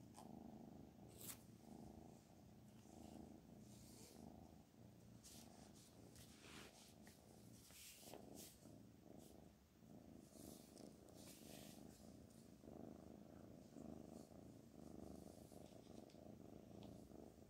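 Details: Domestic cat purring steadily, a low, continuous rumbling throb, with scattered soft clicks and rustles over it.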